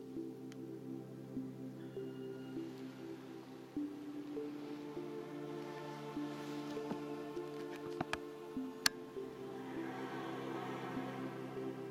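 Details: Soft ambient music with sustained tones and occasional clicks and drips plays quietly, with no animal sound heard.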